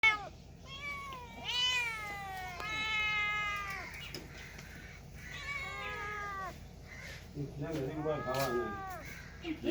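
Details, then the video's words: Domestic cats and kittens meowing indoors: a run of five drawn-out, arching meows, some rising then falling, spaced roughly a second apart, the last one rougher and more strained, over a low steady background hum. "Very Funny Cats and Kittens Meowing Sound Effects"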